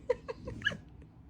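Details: French Bulldog indoors giving a short series of high whimpering yelps, three quick rising notes followed by a sharper squeal and two faint trailing peeps.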